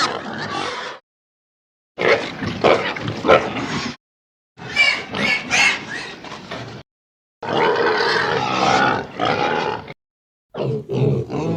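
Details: A pig eating and grabbing food gives harsh, rough grunts and squealing oinks in short bursts separated by brief silences.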